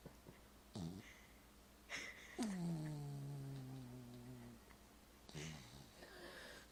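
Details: Marvey, a sleeping pet dog, gives a long drawn-out tonal snore that holds a steady low pitch for about two seconds, between short rasping breaths, in a quiet room with a television on.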